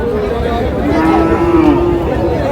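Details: A cow at the Aftabganj livestock haat in Bangladesh, where lean cows are sold, lets out a low, steady, droning moo about a second and a half long while buyers and sellers talk and bargain close by.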